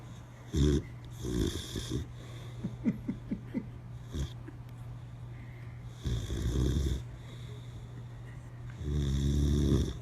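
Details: Boxer dog asleep with eyes open, snoring: low rumbling breaths with harmonic buzz, long snores around 0.7, 6.5 and 9.5 seconds with several short snorts and clicks between, steady low hum behind.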